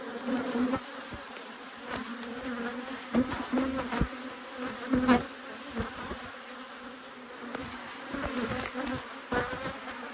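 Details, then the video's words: Agitated honey bees swarming a beekeeper after a heap of bees dropped to the ground during a hive inspection in March 2022; dense low droning buzz with sharp ticks and thumps as bees strike, loud flurries around three and five seconds. "When Bees Go Wild - Inspecting Two Angry Hives"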